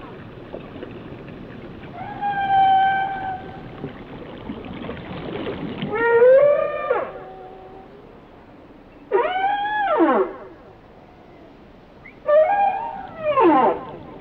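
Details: Whale song beginning with a level, flat-pitched whistle, followed by three strident arching calls that rise and then drop steeply, separated by quieter gaps of a few seconds.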